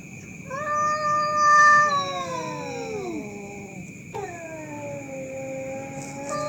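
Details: Cats fighting at night in Indonesia, loud enough to keep people awake: long wavering yowls that hold steady, then slide downward, with a fresh rising howl near the end over a steady high-pitched whine.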